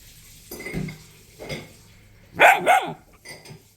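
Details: Ocho, a pet Dachshund and Jack Russell Terrier cross, is scolded for eating a charger and answers with two sharp, high barks in quick succession, preceded by softer vocal sounds and a person's voice in Georgian.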